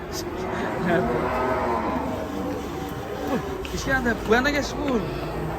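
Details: Raging cattle from a compilation of enraged cows: low, drawn-out harmonic moos rising and falling, with sharper curving cries near the end over steady background noise.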